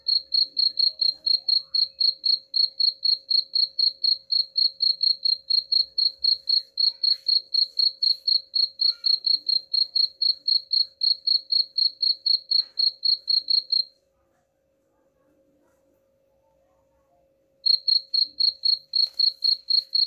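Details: Cricket chirping, offered as a sound to drive away rats: sharp, high-pitched pulses repeated steadily about four times a second, broken by a silent pause of roughly three seconds before the chirps resume.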